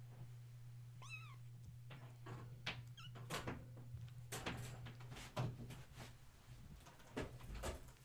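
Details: Kittens, woken at bedtime and playing indoors in a kennel area, give a couple of brief high arched mews among loud thumps, clatters and a constant low electrical hum.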